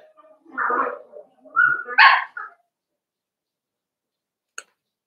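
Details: Cavalier King Charles Spaniel puppies playing together indoors in a home puppy pen. A few short, high, harmonic yips and barks come in quick succession over the first two and a half seconds, then quiet, ending with one sharp click.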